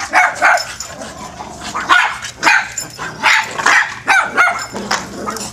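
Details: Playing dogs letting out sharp, high yapping barks about every half second, loud and uneven, with short pauses between the bursts.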